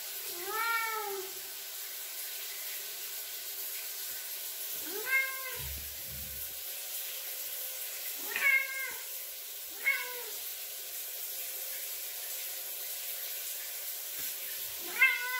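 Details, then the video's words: Bowie, a male Ragdoll cat, meows at the bathroom door for attention while the shower runs; five separate arching, wavering meows spaced a few seconds apart over a steady hiss of running water indoors. "Ragdoll Cat Meows for Attention While I'm Showering"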